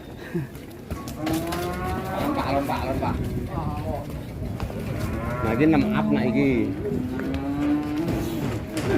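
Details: Agitated cattle coming off a truck: drawn-out, wavering moos, some rising then falling, overlapping one another amid steady crowd chatter and rumbling background noise.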